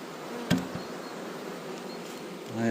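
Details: Swarming honey bees being relocated into a neighbour's box, to be returned next morning; a soft, even drone of many wings fills the background, with one dull thump near the start and a brief murmur of voice.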